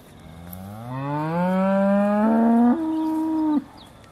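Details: Single Aussie Red dairy cow before milking, December 2012, a drawn-out moo rising gradually in pitch then stepping up for a final held note, over quiet background.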